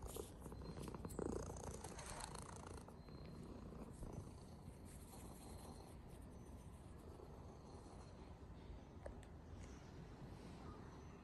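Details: A hairless Sphynx cat purrs in a continuous low, rough rumble of rapid pulses, soft and fairly even throughout, with faint background hiss.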